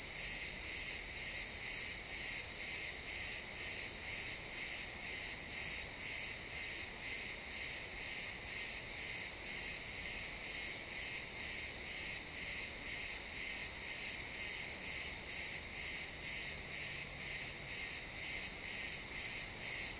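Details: ['Crickets in a pine forest as the sun sets, real-time XY stereo: a dense, highly regular series of high chirps near two per second, sustained throughout with a soft low hum in the background.']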